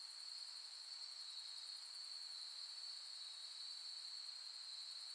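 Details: Autumn insect voices at Soni Highland, Nara, Japan, on a late-August 2021 night with pampas grass showing: an even, high, ceaseless trill forming a single bright band, layered over faint higher buzzing, with no wind or people.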